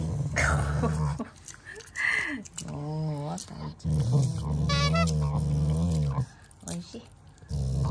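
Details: Shiba Inu growling at its owners as a show of affection, not anger; low, rumbling growls come in long stretches, broken by higher whiny tones, while a person talks in Japanese throughout.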